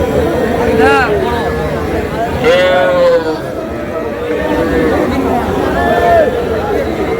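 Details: Small bull and heifer calves at the Amabari cattle market in Dinajpur, Bangladesh, on 24 July. Three drawn-out, wavering bawls rise and fall over steady crowd chatter and market bustle.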